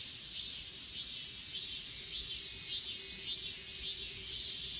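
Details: Crickets singing on Achasan mountain, Korea, recorded on a Galaxy S20 Ultra: short, bright, buzzy chirps about every half second, laid over a constant shrill insect hum.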